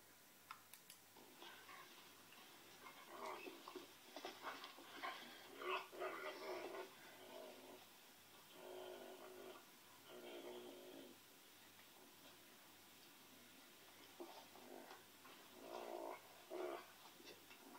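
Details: Ole, a Pinscher dog indoors, gives a run of short whining, whimpering vocal bursts in uneven clusters, some with wavering tonal bands, separated by brief pauses.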